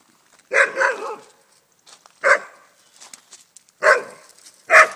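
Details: An unhappy Alaskan Malamute in a garden, confronting a swan walking through, gives loud, rough barks in uneven bursts, a double bark first, then single and paired barks, with quieter rustling between.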